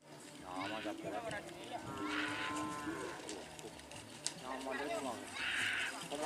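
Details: Cattle at Kerapan Sapi bull racing on Madura, East Java, Indonesia: a drawn-out, harmonic lowing moo swells midway and fades. Busy outdoor background noise and other voices continue throughout.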